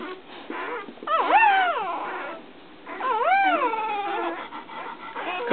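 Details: Whimpers from newborn puppy Lady, all white with an eye patch, as her mother Brandy licks her. Two drawn-out, wavering cries each swoop up then down, about two seconds apart, while a woman encourages the mother in the background.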